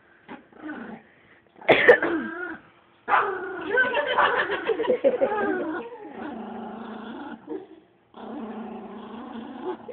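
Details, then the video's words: Chihuahua on the attack, a small dog giving harsh rasping growls with yips in bursts of one to three seconds, broken by short gaps, with people talking nearby. "Chihuahua attack"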